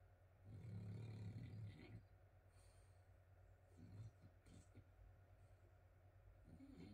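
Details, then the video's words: A sleeping French Bulldog snores while someone works nearby: a low, rumbling snore swells for about a second and a half near the start, with a shorter, quieter snort around four seconds and faint room noise between breaths. "Working When there's a sleeping frenchie"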